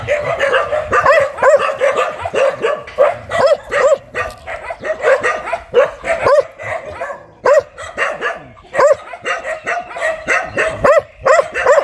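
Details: Very aggressive dog barking continuously: a long run of short, sharp, rasping barks, often two or three in quick succession, with a few brief pauses.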